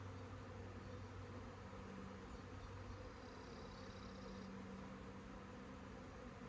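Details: Honey bee swarm humming as a steady, low, even drone with layered tones, unbroken for the whole stretch; a faint thin whine rises above it midway.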